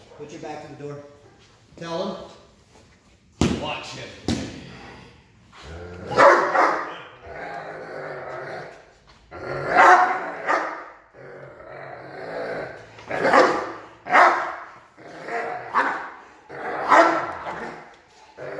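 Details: Protection-trained Doberman showing aggression: a man's talking opens, then sharp, harsh barks come in irregular bursts every few seconds amid a sharp knock and continued speech.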